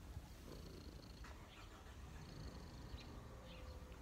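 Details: Domestic cat purring while relaxing on a person's knees, a low continuous rumble with steady pulsing; faint high whistly tones and light clicks above it.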